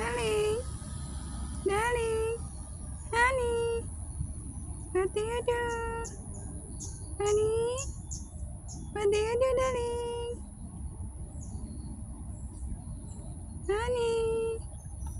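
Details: Street cats calling in a long series of short, rising mews, about ten calls in quick bursts with gaps between, some doubled, against a low background hum.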